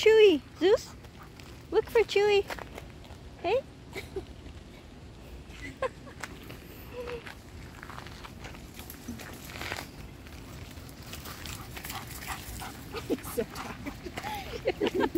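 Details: Taiwan Dog playing wildly with friends on an outdoor walk: a few short, whiny, rising yelps in the first seconds, then quieter footsteps and people talking and calling the dogs throughout.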